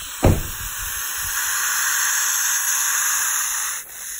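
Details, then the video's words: Eastern hognose snake in fall 2019 hissing and flattening out to scare away a potential predator; one long, steady breathy hiss lasting about three and a half seconds, after a short knock at the start. "Hissing Eastern Hognose Snake!"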